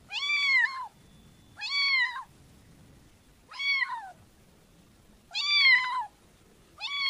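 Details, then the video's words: Repeated kitten meows, five arched harmonic calls each under a second long, coming at steady intervals of about one and a half seconds over a quiet background. "Cutie Pie Kitten Realistic Meowing Sounds"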